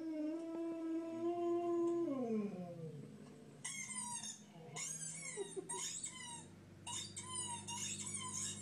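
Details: Jack Russell Terrier Toby holds a steady howl that slides sharply downward, followed after a short gap by bursts of shrill, quavering whines repeated in quick clusters over a faint low hum.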